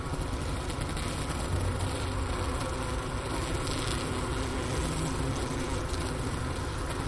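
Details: Honey bee colony wintering in its hive at the Ohio State University Wooster campus, about 4 PM on January 16, 2024, 15 °F outside, recorder placed by the inner-cover hole beside a sugar brick; a steady low droning hum with layered tones.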